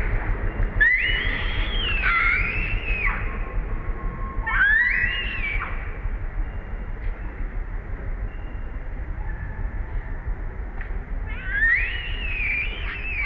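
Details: A baby monkey, tied down near trees, gives long, wavering, high crying calls that rise and fall, calling for its mother to come help.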